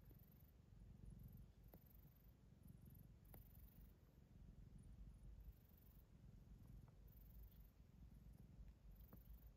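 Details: A steady, low rumbling purr from Ocicat kittens born November 14th 2021 pulses gently for nearly ten seconds. A few faint clicks and a soft high background hiss are also heard.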